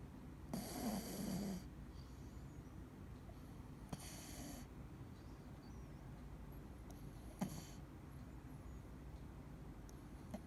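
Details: Snoring from a sleeping male Scottish Fold named Dee: a rough, rattling inhalation followed by softer breathy bursts every three to four seconds, fading toward the end, with a faint click, in a small quiet room.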